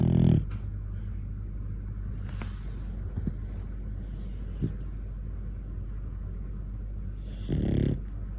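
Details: A 4-year-old male cream French Bulldog snuffles and snores in low, rough, throaty breaths, seemingly unhappy with his chin's position, with two louder snorts, one at the start and one near the end.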